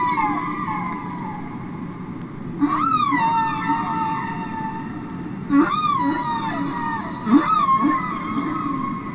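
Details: Humpback whale song recorded underwater, from the Capitol Records ST-620 album: long sustained tonal moans with rich harmonics, punctuated by three sharp upswept cries that arch and fall, over a steady low hiss.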